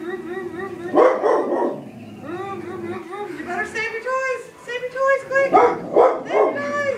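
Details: Pet dog barking at a vacuum cleaner while its owner tries to get it used to the machine: short pairs of sharp barks near the start and end, with wavering, tonal whining sounds and speech between them.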